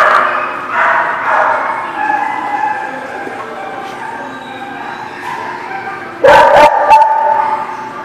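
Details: Dogs at a dog lot recorded on 12 November 2017 bark and yip in a continuous, overlapping chorus, then a sharp loud burst of barks after six seconds before the noise settles again.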